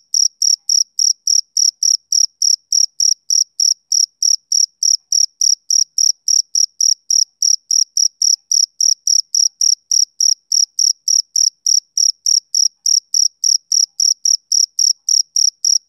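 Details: Male cricket, summer evening, chirping without a break: high, crisp pulses at a fast, steady beat of a little over three per second throughout, against a silent background.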